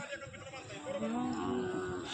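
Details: Bullock at the traditional Pandharpur bullock market, held during the Kartiki pilgrimage fair in India: a low, drawn-out moo that rises and then levels off over about a second, against a background murmur of voices.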